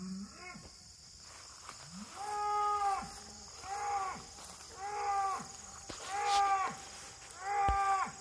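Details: Little bull calf, recorded August 31, 2023, with a white oak tree noted, giving loud arched bawling calls with rich harmonics, repeated about every second and a half; a steady high insect hum runs underneath.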